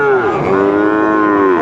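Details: Holstein Friesian and crossbred bull calves at Raniganj cattle market, Dinajpur, on 18 April 2024, one giving a long, steady, harmonic-rich moo that holds level, dipping slightly partway and falling at the end, amid market chatter.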